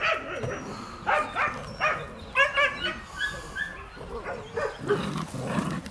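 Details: A litter of puppies, two months old, at play with their mother: quick run of high, harmonic yaps and squeaky barks, closely spaced and uneven, with scuffling noises between them.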